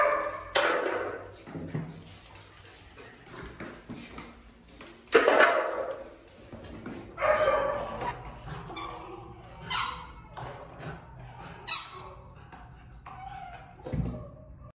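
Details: Barks from Valencia, an adoptable young female American Staffordshire Terrier recorded in May 2021; five or so scattered sharp barks spread across about fifteen seconds with quiet gaps between, plus a low thump near the end.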